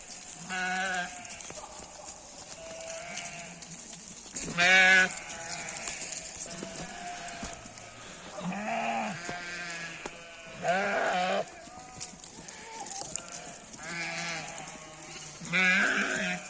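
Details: Sheep in a mountain village in Nepal, bleating repeatedly: several short wavering bleats around 0.5, 4.7, 9, 11, 14 and 16 seconds, some loud and harsh, with a steady high hiss throughout.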